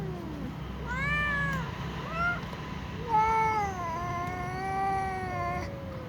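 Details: A little cat meowing before eating alongside other cats: a few drawn-out, tonal meows with gently bending pitch, the longest near the end, over a low background hum.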